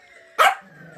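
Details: A 2-year-old female Yorkshire Terrier gives a single sharp, high yip, begging for leftover Christmas dinner ham.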